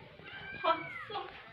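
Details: A pet cat, filmed as a talking cat, gives a short drawn-out meow with a falling then rising tone, answering a person speaking to it; faint room noise underneath.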